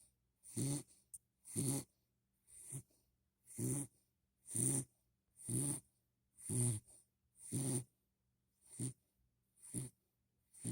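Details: Snoring puppy Hadley, worn out after a long walk from the park, sleeping indoors; steady low rasping snores roughly one per second, each a short throaty breath with airy hiss.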